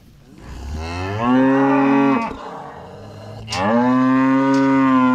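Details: Cattle being moved home by their farmer: two long, loud moos separated by a short pause, each rising from a low start into a steady, drawn-out, richly layered tone.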